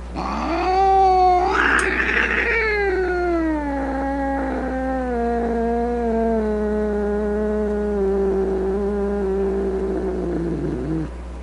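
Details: Angry domestic cat caterwauling for about eleven seconds: a harsh, strained opening burst, then a long wavering moan that slowly sinks in pitch and ends in a rough, gravelly fade, over a faint hum.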